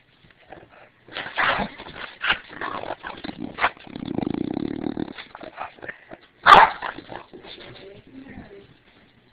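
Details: An English Bulldog that dislikes anything pointed at her gives short gruff barks, low grumbling vocalizations and a sharp yelp, with a person speaking.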